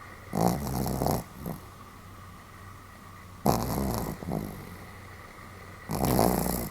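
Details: Pomeranian named Sam snoring fairly loudly: broad, rasping snore bursts about half a second to a second long, recurring roughly every two and a half to three seconds, with a quiet hum between breaths.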